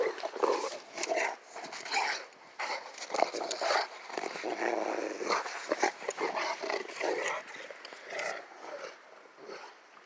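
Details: Rottweilers out in the snow make rough, throaty growls in uneven bursts over about ten seconds, with scuffling and crunching noises between them.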